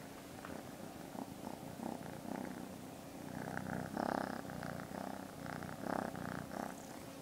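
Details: Sally, a pet kitten four weeks after being found, purring close up: a steady low rumbling purr in rhythmic pulses, swelling on each breath, in a quiet indoor setting.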